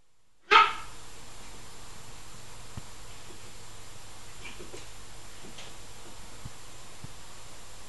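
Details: A female Maltese puppy gives her first bark, one sharp, high-pitched yap, and then the room falls quiet.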